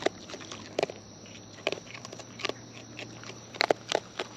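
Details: Wild raccoons eating close up, natural chewing sounds: sharp crunchy clicks and bites in scattered bursts over a quiet background with a faint steady hum.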